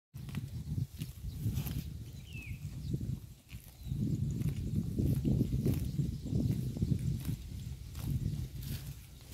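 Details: Cow grazing on roadside grass, recorded up close: dense, rhythmic low tearing and chewing noises in rough bursts, about three to four per second, with a brief quieter gap near the middle and faint outdoor background.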